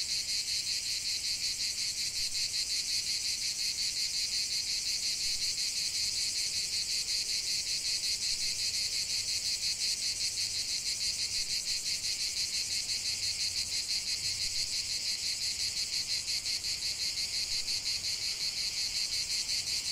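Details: Cicadas singing in nature: a dense, continuous high buzzing chorus with a rapid pulsing shimmer, steady and unbroken, with faint low background rumble.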